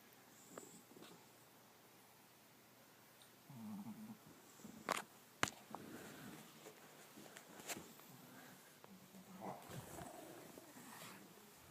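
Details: Dog snoring and snorting, with soft, low, rasping snore bursts in the middle and near the end. Sharp clicks and snuffles break in over a faint steady hiss.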